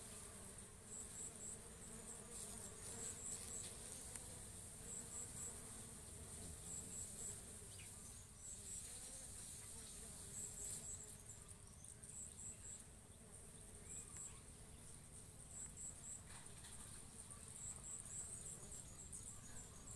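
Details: Bees feeding on and pollinating coconut blossoms, making a sustained low hum that rises and falls gently throughout, accompanied by faint high-pitched chirps repeating in small clusters.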